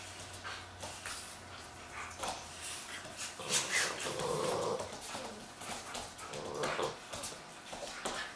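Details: Giant Schnauzers Haanz, a champion, and Ice, a young female not yet full grown, romp together for the first time; a low grumbling growl swells midway among scuffling, clicking claws and soft thuds in a small room.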